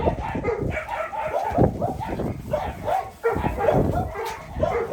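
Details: A small two-month-old puppy gives repeated high whimpering yelps in quick irregular bursts, while people speak in the background.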